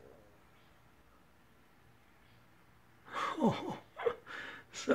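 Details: A quiet room with a faint low hum gives way to a few seconds of human speech and breathing, with no animal voice.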